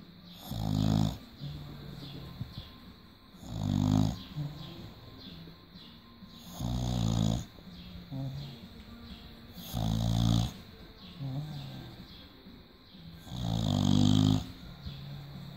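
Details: British Bulldog asleep and relaxed indoors, snoring in deep, rumbling, rattly bursts, one long snore roughly every three seconds with softer wheezy breaths between them.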